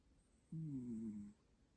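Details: Domestic cat named Mandu snoring: one drawn-out, low, steady droning snore lasting under a second, with layered even tones, set in an otherwise quiet indoor room.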